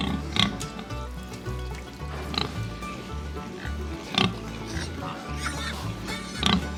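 A domestic pig gives short, rough grunts about every two seconds over steady background music.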